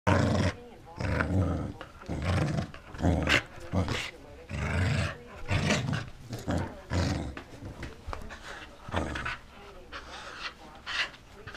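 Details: A corgi called BroadingCorgi makes a run of rough, throaty growling grumbles. The low, noisy bursts come roughly once a second, each lasting under a second, with brief quiet gaps between them.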